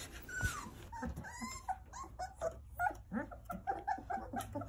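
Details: Nine Jindo puppies playing and toddling about in the care of their mother, Sarang: short high whimpers and squeaks, some sliding downward, overlapping in quick succession, with faint grunts and rustling indoors.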